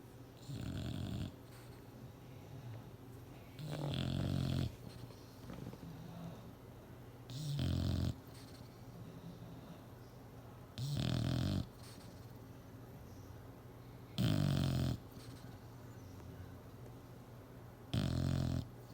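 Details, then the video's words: Clyde, a bulldog, asleep on a chair indoors, snores in loud rasping bursts about every three and a half seconds, six strong snorts in all, with soft breathing in the quiet gaps between. "Snoring Bulldogs!"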